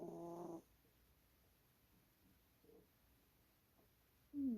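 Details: A sleeping cat snores: a harsh, harmonic rattle opens, then comes a quiet gap with faint breaths, and a louder, slightly falling snore ends the stretch.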